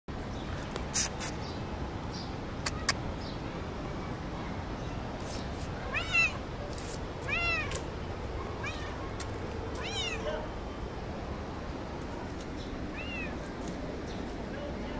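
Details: A friendly cat meowing toward the person filming, apparently talking to them: several short rising-falling meows around six, seven and a half, ten and thirteen seconds over steady low background noise.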